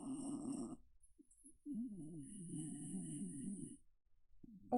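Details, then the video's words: Cricket, a female pet Welsh Terrier, making contented sounds indoors while held: low, wavering grunting murmurs, a short burst then a longer rumbling stretch of about two seconds, with a faint high electronic whine above. "Okay. Anyway, that's the sounds of a very content Welsh Terrier."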